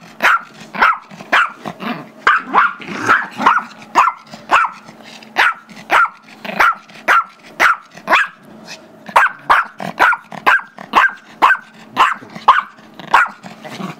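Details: Gizmo, a 5-year-old Chihuahua/Yorkie mix playing with 2-year-old Yorkie Tigger, barks persistently for a squeaky toy, February 10, 2011; a long run of about twenty-five shrill barks, twice a second, with low growling and scuffling underneath.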